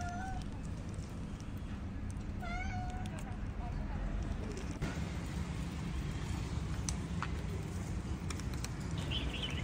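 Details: A hungry female kitten asks for food with a few short, rising-then-falling melodious meows over a steady low background rumble.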